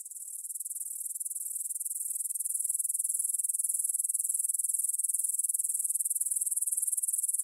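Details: Stridulating grasshoppers at dusk, 9pm on 6 September 2020, in the Svensky monastery field in Bryansk, Russia, taken on a Tascam DR-44WL. A sustained high, finely pulsed buzzing grows gradually louder and stays steady throughout.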